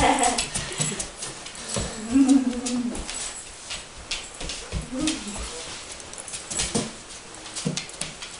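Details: Edward, a Standard Poodle, whines indoors as visitors arrive for the summer: short high tonal whimpers rising and falling, two clear bursts a few seconds apart among scuffling, with faint music and voices in a small room.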